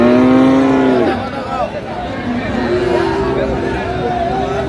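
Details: Friesian or crossbred heifer calf at Raniganj cattle market, Dinajpur, 29 January 2025, opening with a loud one-second moo followed by fainter lowing, with nearby speech and a passing vehicle.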